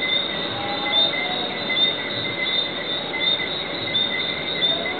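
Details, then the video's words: A dense night chorus of Lesser Antillean whistling frogs at the Divi Southwinds, with countless high, thin whistles overlapping continuously. "Bejan Whistling Tree Frogs At the Divi Southwinds"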